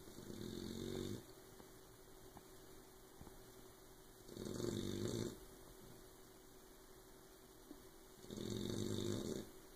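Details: Oberon, a puppy asleep, snores loudly enough to keep Tyson awake; three deep, rumbling snores arrive about every four seconds, each lasting roughly a second, with quiet breathing between.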